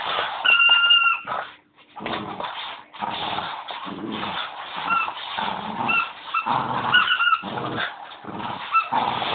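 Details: Leo, a Bichon dog, playing with his squeaky bone: bursts of rough, breathy play growls and snuffles come in quick uneven runs, with short high squeaks of the toy rising above them.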